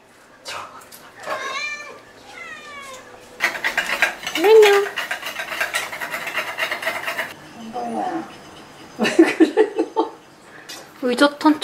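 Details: Indoor Ragdoll cat, one of eleven kept in one home, gives two short falling meows early on, then household clatter and human chatter take over, with a few low cat murmurs near the end.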